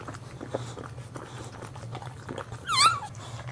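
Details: Indoor whelping of a first-time Boxer mother in a box with green cushions; after soft clicking and licking, a sharp high squeal rises and wavers briefly near the end, over a constant low hum.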